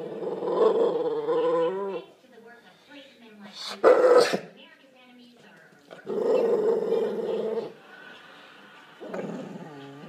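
An American Staffordshire Terrier gives drawn-out, moaning grumbles, with one sharp bark in between.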